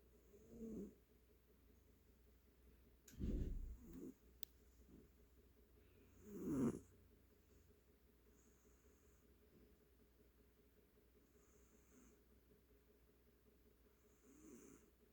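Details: A cat snoring: soft, low rasping breaths in slow irregular bursts, roughly every three seconds, with quiet pauses between them in a small, still indoor space.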